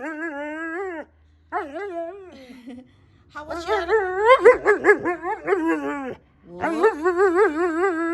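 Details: Husky at home indoors, answering a person's questions with drawn-out, wavering, howl-like vocal 'talking' in several phrases of rising and falling moans, separated by short pauses; a person's voice is faintly heard.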